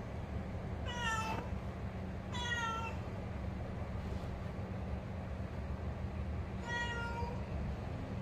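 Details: Three clear meows from Benny, a house cat in Bali: two close together near the start, then a third after a pause of about four seconds, each with a bright, slightly falling tone over a low background hum.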